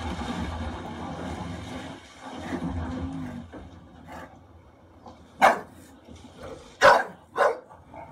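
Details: English Bulldog, a female pet, protective while watching an actor in distress during a bear attack on screen: rumbling film soundtrack at first, then three sharp barks near the end, the last two close together.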